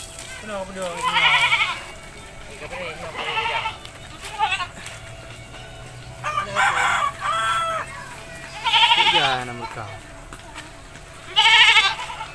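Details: Village goat calling while it is bathed: a series of loud, shaky, wavering bleats about every two to three seconds, with a low human voice heard between them.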